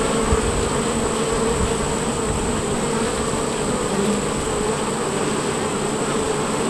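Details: Worker honey bees at a hive entrance on a bee farm, a dense continuous buzzing hum of many bees with steady low drone and no breaks throughout.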